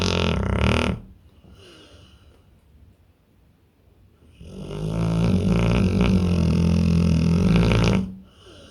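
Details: A pit bull deep asleep, snoring: a brief loud rasp at the start, a hushed gap of about three seconds, then a long droning inhaled snore with a buzzing tone lasting nearly four seconds.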